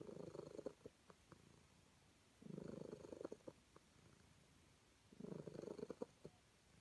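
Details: Calico cat purring while happy to be petted, indoors: three rumbling purr bursts about every two and a half seconds, each roughly a second long with brief pauses between, plus faint clicks.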